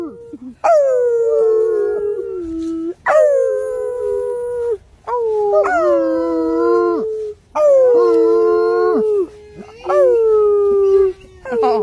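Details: Bloodhounds howling out of excitement as a way of communicating; a string of five or six loud howls, each starting high and sliding down before holding a long steady tone, overlapping one another with only brief breaks.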